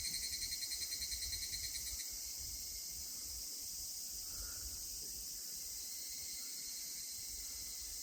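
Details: Evening cicada singing at a shrine in Yasugi, Shimane Prefecture, Japan, beside a cedar said to be over 1000 years old; a rapid pulsed, ringing phrase for two seconds then stops, over a steady high insect drone.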